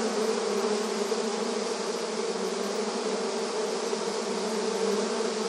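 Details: A continuous swarm-like drone of honey bees coming and going at a beehive entrance, steady in loudness, with a low, thick hum and a faint airy buzz above it.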